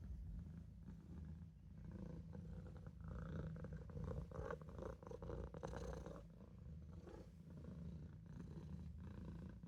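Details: Sleepy Maine Coon kitten Olof, lying in the sink, purrs in a deep, even drone that grows slightly richer and louder mid-way, then settles back to a steady rumble.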